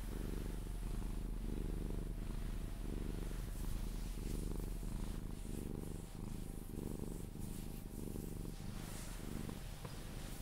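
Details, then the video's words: Purring Sphynx cat being cuddled until it drifts off to sleep; deep, close rumble in regular pulses of roughly half a second, alternating inhale and exhale phases, with faint rustling. "CUDDLING MY SPHYNX | 10 MIN CAT PURRING CUDDLES E KISSES SOUNDS"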